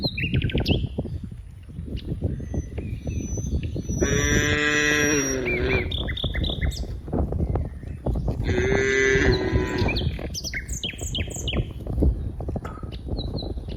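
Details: Many cows playing among green rice fields; two long, strained moos separated by a few seconds, set against constant crunching ground noise and frequent bright bird chirps.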